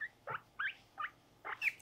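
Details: During brushing and nail clipping, a pet guinea pig called Mopuko lets out five sharp, high squeaks with short gaps between them, one slightly lower and rougher at the start.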